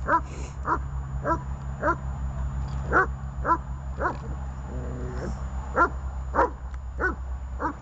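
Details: Glemmy, Fela and Rey, three leashed dogs, bark steadily at roughly two-second spacing, each bark short and punchy. A steady low rumble sits beneath, and a brief tonal whine comes in midway.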